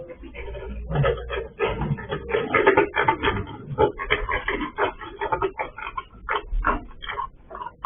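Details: Escaped sow on a pig farm, picked up by a surveillance camera while the farmer was away: a dense, continuous run of rough, snuffling grunts in short bursts, several per second, with little pause throughout.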